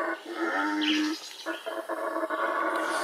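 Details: Yucatan black howler monkey in the wild, howling in hoarse, rasping roars that break into short pulsed bursts after a longer opening roar.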